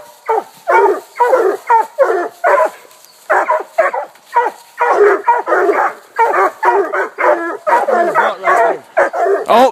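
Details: Walker, Black and Tan and Bluetick coonhounds, four hounds in all, hold a raccoon up a tree eight minutes after turn-out. Loud, rhythmic, choppy barks come in rapid bursts with brief gaps, several dogs overlapping.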